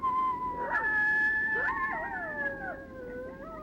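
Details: Coyotes (Canis latrans) give a group howl: 2 or 3 coyotes each make long, wavering lone howls that slide and overlap, believed to mean the same as a lone howl.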